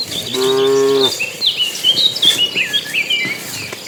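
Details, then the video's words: Crowd of cattle on the way to green pasture; one clear moo under a second long, after which busy whistled bird chirps dominate the remaining seconds. "Suara sapi lucu riang gembira"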